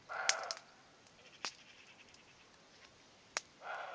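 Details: Roe deer calling in the distance on a green spring evening with hawthorns still in bloom, heard beside the year's first campfire; two short hoarse barks open and close the clip, with sharp crackling clicks between.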